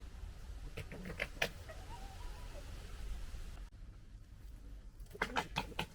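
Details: A fox, recorded in 2021 amid gekkering and fighting, gives rapid, rattling, harsh clicky stuttering gekkers in two brief bursts over a steady low background rumble.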